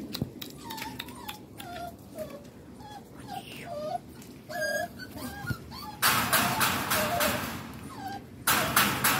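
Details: Rescued street puppies from southern Lazio, Italy, expected to reach medium size, making short high whimpers and squeaky yips in quick succession, followed by loud rustling and handling noise over the last seconds.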